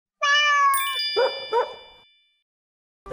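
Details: Housecat, one of two cats sharing a home that fight every day, aired 29 May 2020: a drawn-out tonal meow, overlapped by a bright bell-like chime, then two short muffled thumps, silence, and the start of another sound.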